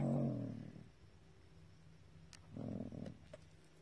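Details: A gray fox in its burrow gives low, rough growling sounds in two short bursts.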